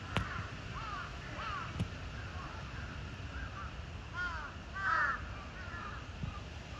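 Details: Zuraya, a captive cheetah at Chiba Zoological Park, recorded 8 April 2023. A few short, high, arched chirps sound in small clusters over low background hum, with a couple of sharp clicks.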